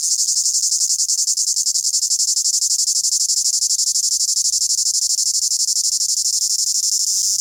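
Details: A cicada calling from a tree in the Amazon Rainforest, South America, in summer sings a loud, continuous high-pitched buzz with a fast pulsing texture.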